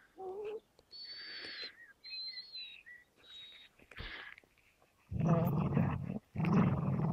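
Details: Beagle Baloo and American Staffordshire Terrier Gerundio locked in a standoff over a fabric toy. High, thin whistled whines come first, then two loud, rough growling bursts close the clip.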